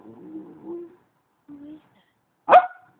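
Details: Pet puppy Romeo communicating: two low, drawn-out whining grumbles, then a pause and one sharp, loud bark near the end.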